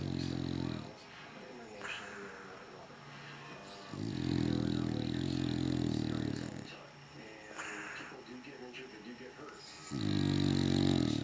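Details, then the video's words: English Bulldog asleep, snoring away: loud, harmonic, rumbling snores of two to three seconds each, with quieter breathing between them, the snores coming back roughly every three seconds. "Bulldog Snoring"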